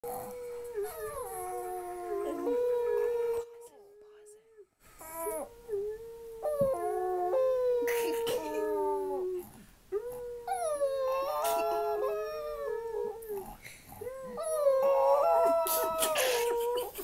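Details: Chihuahua howling like a wolf: long, wavering, tonal howls of one to three seconds each, sliding up and down in pitch, repeated after short pauses, with one brief silent gap early on.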